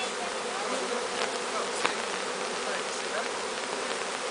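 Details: A bee swarm, captured from the top of a large tree, being walked into a new hive: a steady, dense buzzing hum holds evenly throughout, with faint brief clicks and one sharp tick near the middle.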